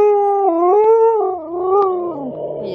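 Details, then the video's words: A single watch dog holds a long, steady howl that steps slightly up and down in pitch, then trails off into a softer, breathy finish. "Loud watch dogs"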